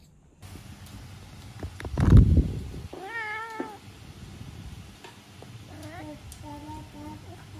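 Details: A Norwegian Forest Cat meowing cutely while hugging a person indoors: after a soft thump, a wavering, tonal meow, then a quieter, flatter drawn-out meow a few seconds later, with faint room noise.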